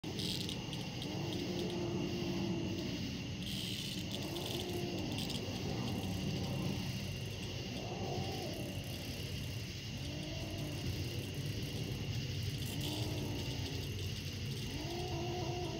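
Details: A kitten growls in low, drawn-out moaning bursts every few seconds while holding a cicada in its mouth, over the cicada's steady insect buzz.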